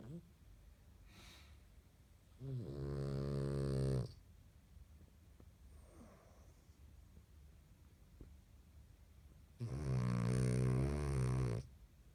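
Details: A French Bulldog puppy snores in long, rattling, low-pitched breaths with quiet pauses between them.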